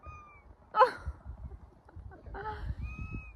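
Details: Bossy female domestic cat on a harness outing meows at her owner, demanding to be taken home. Two short, bright meows sound about a second and a half apart, with a woman talking to her and faint sustained musical tones.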